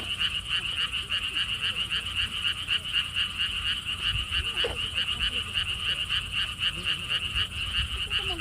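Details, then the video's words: Frogs at a lotus theme park pond in Siheung, Korea: a continuous chorus of quick rattling croaks, roughly four pulses a second, with soft wind rumble and a few faint background sounds. "개구리 소리"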